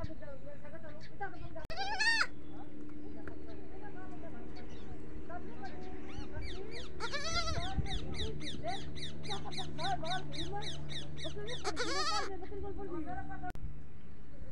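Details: Goat kids on a goat farm calling out for the mother goat: a long run of wavering, quavering bleats repeated about once a second, with a few single bleats before, over a steady low hum and background noise.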